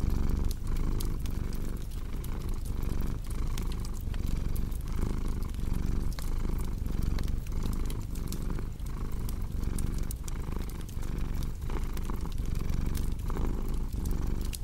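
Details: Domestic cat purring steadily, a deep low rumble that swells and eases with each breath about once a second, over sharp snaps and pops of a crackling fireplace.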